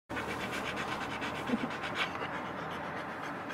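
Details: Sany, a neutered male Samoyed born December 2020, on his first camping trip: quick, rough breathy panting pulses in an uneven rhythm, with a few faint soft squeaks and light rustling.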